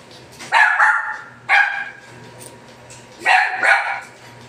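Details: Pomeranian dog barking while being groomed with a trim cut; sharp, bright barks come in three bursts, two of them doubled, about five barks in all, over a steady low hum.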